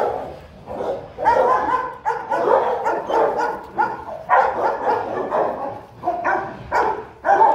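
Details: Two Rottweilers, a father and his seven-month-old son, meet and play together. A dog barks in a steady volley of rough, broad barks, about two a second, with a short pause partway through.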